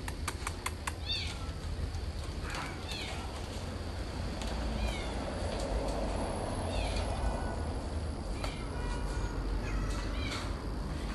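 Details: Cat in a garden, dated 08 06 2020, giving thin, falling mews repeated in scattered bursts across several seconds, with an Italian voice speaking faintly and steady low background noise throughout.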